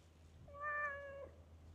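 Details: Talkative park stray delivering a single steady, drawn-out meow lasting under a second, flat in pitch with clear overtones, above a low background hum.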